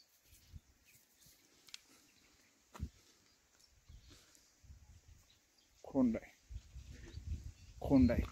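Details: Khillar bull calf, about eight days old, kept with its cow and offered for sale; two short, nasal, harmonic bleating moos near the end, about two seconds apart, after quiet speech and rustling outdoors.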